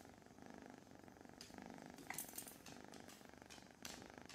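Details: Foster kitten of the Von Trapp litter purring in a lap while being petted in the morning, an even rapid rumble throughout, broken by brief rustling and a sharp clatter midway, small dogs sharing the room.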